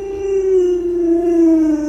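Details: A steady, sustained howl from Luoluo, a pet Alaskan Malamute that minds its family's small child. The tone is rich and harmonic, holding nearly level and then drifting gently lower over two seconds.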